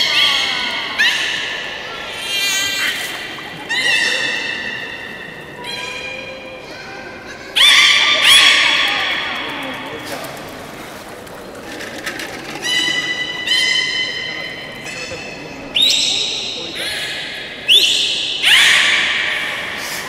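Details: Captive beluga during a public training session at Port of Nagoya Public Aquarium, 18 July 2016, 13:30 show: a long series of bright harmonic squeals and whinny-like calls, some with sliding pitch, bursting out every second or two over a hall's murmur.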